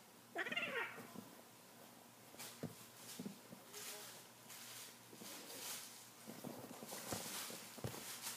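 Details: Brother and sister F3 jungle cat hybrid kittens at play, wrestling; opens with a sharp, harmonic, slightly falling cry, followed by scuffling, thumps and rustles of the tussle.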